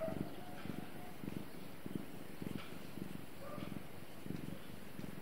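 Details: Pet cat giving a soft, low purr, heard as faint rhythmic throbbing pulses repeating about every half second, with a steady hushed background and no other clear sounds.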